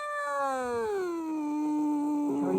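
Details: Calico cat acting mean: a long, tonal, moaning meow that falls in pitch over the first second, then holds a low, steady drawn-out note, with a brief lower overlapping tone early on.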